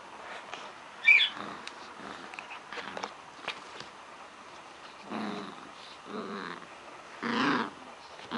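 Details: Dog playing with a toy, giving three short, gruff, rasping growls in the second half, each under a second long, after a stretch of sharp clicks and knocks from the toy.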